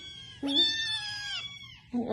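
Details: Domestic cat giving a single drawn-out meow that jumps up sharply, holds steady, then slides down and fades over about a second, with people chatting about dinner before and after.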